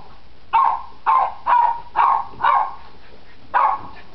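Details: Nine-week-old Cairn Terrier puppies at play. A run of six short, sharp, yappy barks comes in quick succession, mostly about half a second apart, with a brief pause before the last one.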